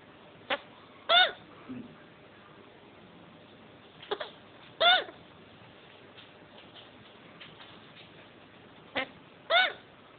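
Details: Post-mating hiccups from a male chinchilla: three short arched squeaks with strong harmonics, spaced about four seconds apart, each preceded by a soft click, over low room noise.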